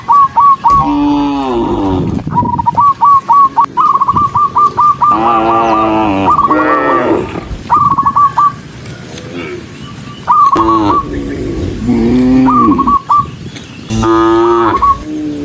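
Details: Dozens of tame cattle walking, several mooing in turn with long, wavering lows, while quick, high, stuttering trills repeat often across the recording.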